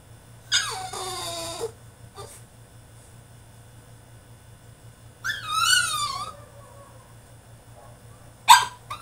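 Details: A caged male French Bulldog in a tantrum lets out a drawn-out nasal whine, then a quavering, wobbling cry a few seconds later, ending with a short sharp yip. A faint low hum sits underneath.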